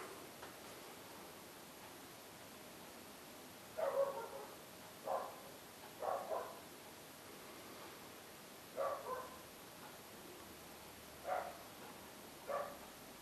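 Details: Dog barking in short, sharp bursts, about seven barks spread over thirteen seconds, some in quick doubles, heard at moderate distance over a steady background hiss.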